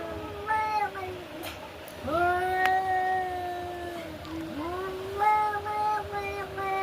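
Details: Fighting cats give sustained, nasal yowls: a brief wail, then a long steady moan from two seconds that dips at the end, followed by another rising, wavering howl; a few clicks and murmured voices behind.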